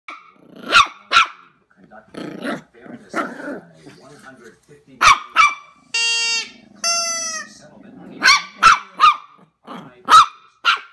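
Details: Jack Russell terrier puppy taking on a giant gummy bear, giving sharp high yaps in pairs and clusters, with a person speaking and squeaky toy-like harmonic sounds in the middle.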